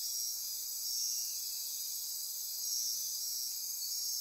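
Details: After dark in the Osa Peninsula forest near Corcovado, Costa Rica, massed insects pulse and ratchet in a constant high hiss of trilling, swelling slightly in loudness twice over a few seconds.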